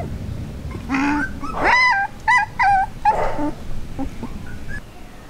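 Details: One-month-old border collie puppies, part of a litter recorded from their first day to two months: a burst of high wavering whines and short yips, several closely spaced cries, then quieter whimpers trailing off.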